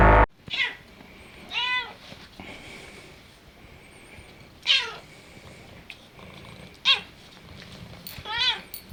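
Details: Maine Coon cat at home, described as doglike, which answers when spoken to and 'barks' to scold its owners for rising or returning late; several short arched meows, about five across nine seconds, over quiet room noise.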